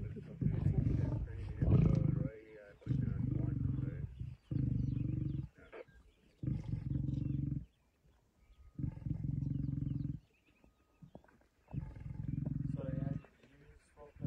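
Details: Male lion with others of a pride on a buffalo kill, 26 September 2023: deep, rasping growls about a second long, roughly six bursts separated by short pauses, with faint human voices early on.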